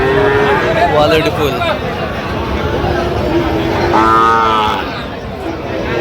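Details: Sahiwal calf at a busy cattle market, seen on 4 August 2025 while a Chattogram farmer shops for bull calves. A short, bright moo comes near the end, after steady haggling voices and crowd noise.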